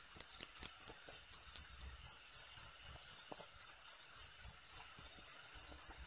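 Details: Cricket, natural recording meant as bird therapy for songbirds, chirping loudly in high, shrill pulses repeated evenly about three times per second, with a quiet background.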